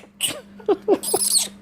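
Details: Young orphaned flying fox in rehabilitation care, reacting to coughing: a few short squeaky chirps followed by a shrill high-pitched squeal, all within two seconds, with a low steady hum underneath.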